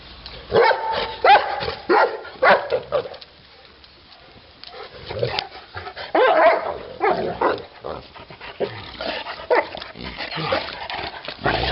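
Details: Neapolitan Mastiff barking in irregular bursts of deep, harsh barks, pausing briefly midway before resuming, with faint background noise throughout.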